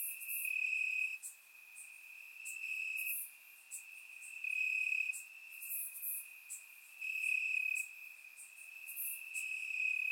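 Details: Crickets chirping in grass on a warm summer night in Bulgaria, taken with a surround microphone: a steady high trill holds one pitch and swells louder for a second or two at a time, with faint higher chirps flickering above.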